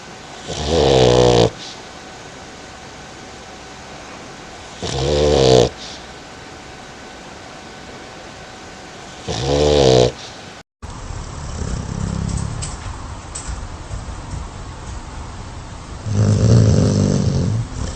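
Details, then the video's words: Loud dog snoring, rasping buzzy inhales about every four seconds. After a short cut, a second dog's lower, softer, breathier snores follow at a similar pace over a constant room hiss. "Funny Dogs Snoring Loudly"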